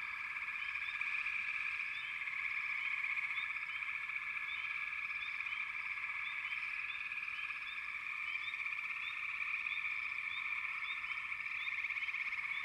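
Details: A dense frog chorus: continuous overlapping trilling and droning from many frogs, with scattered short rising chirps above, steady and unbroken throughout.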